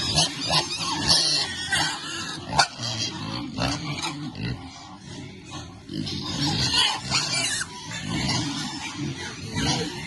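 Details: Piglets enjoying cool water on a farm, grunting repeatedly in low rough bursts with occasional sharper squeaks, water sloshing around them.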